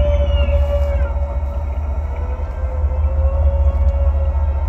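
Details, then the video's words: Humpback whales said to be strategizing, one sustained tonal moan holding a steady pitch with slight wavering, set against a constant deep underwater rumble. "humpback whales strategizing"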